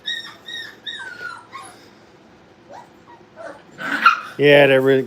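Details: Playing Brittany puppies at a training kennel let out clear, high drawn-out whines that fall at the end, followed by scuffling and a loud human voice.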